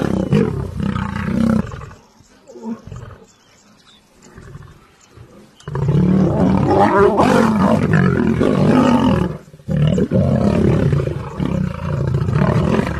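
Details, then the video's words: Lions fighting one another: loud, harsh growling roars and snarls in bursts, with a near-silent lull midway before a long, intense stretch of overlapping rasping roars. "Lion vs Lions"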